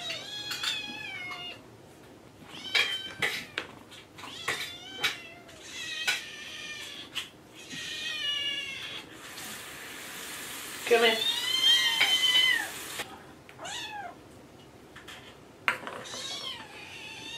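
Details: Three growing kittens begging for their morning food in a chorus of overlapping meows. The high, bending cries come in quick irregular bursts, a few seconds apart, with one long drawn-out wail in the middle.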